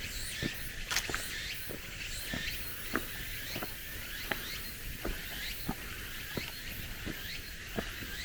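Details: At summer's close in cool mountain woods, cicadas keep up a continuous high buzzing chorus of repeated looping phrases, while regular footsteps on gravel and flagstones crunch about twice a second.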